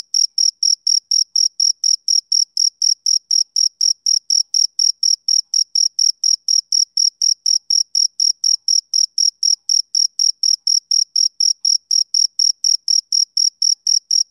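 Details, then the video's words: Summer-evening chirps of a male cricket: bright, high-pitched pulses repeated about four times per second throughout, very regular and clean, with silence between each chirp and nothing else audible. "Cricket Chirping"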